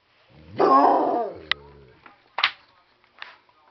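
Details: Siberian Husky, angered by optical illusions, filmed 3/10/2013 around 9:57 PM: one drawn-out, harmonic-rich yowling howl lasting about a second, which wavers in pitch, followed by a sharp click and a few short, faint yelps.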